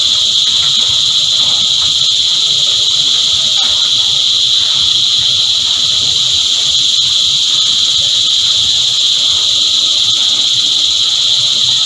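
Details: Cicada choir in full chorus: a dense, unbroken, high-pitched buzzing drone that holds steady and level throughout, with no pauses or rhythm changes.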